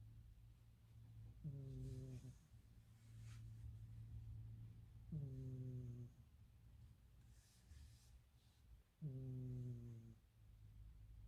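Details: Dozing cat with a loud, person-like snore: three evenly spaced, deep, buzzing snores about every three and a half seconds, each slightly falling in pitch, against a faint steady indoor hum.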